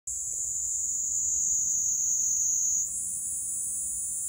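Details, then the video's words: Platypleura kaempferi cicada singing on the Kanto plains of Japan on July 10, 2021: a continuous high, steady buzzing drone that holds level for nearly three seconds, then shifts abruptly to a slightly higher, harsher buzz continuing to the end. "Cicada of Kanto plains Japan (Platypleura kaempferi Fabricius, 1794)"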